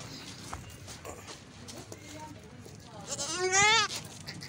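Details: Baby goat bleating once near the end: a high, wavering, nasal cry lasting about a second. Before it, a man talks quietly, with faint background noise.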